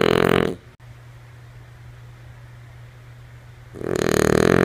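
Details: Lulu, a female French Bulldog, asleep: one raspy, rumbling snore fades out at the start, then about three seconds of quiet room hum before the next broad snore builds at the end.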